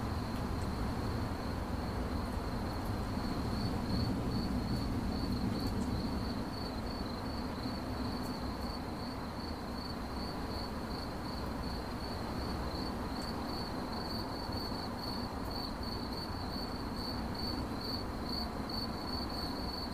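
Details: A single high cricket chirp repeats in quick pulses, about three a second. A heavier low rumble fills the first few seconds, then eases to a quieter hum.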